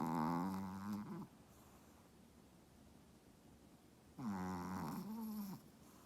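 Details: Dog snoring indoors: two long rasping, harmonic breaths, the first in the opening second and the second starting around four seconds, separated by near silence in a quiet room.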